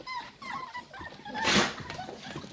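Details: Staffordshire Bull Terrier puppies, six weeks old, from Staffordland's 54th litter, filmed 11 December 2023: a run of high, sliding whines early on, then a loud rustling thump and soft voices.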